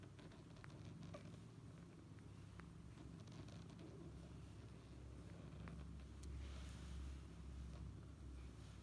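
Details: Sleeping mother cat cuddling her kitten produces a low, throbbing purr that swells slightly louder near the end, accompanied by scattered light clicks and rustling movements.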